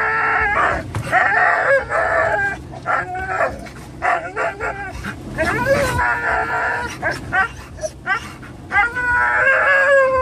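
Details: Three pet dogs, Jack (Norwegian Elkhound mix), Leroy (Labrador mix) and Roxy (Teddy Roosevelt Rat Terrier), excited in a Toyota FJ Cruiser nearing PetSmart: overlapping high wavering whines and howls with rapid sharp barks, some human talk, car rumble beneath.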